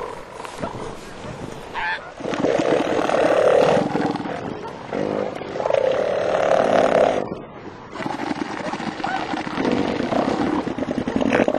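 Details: Two southern elephant seal bulls fighting over mating rights for females: long, throaty, pulsed roars swelling and fading in bursts of several seconds, with surf and wind noise behind.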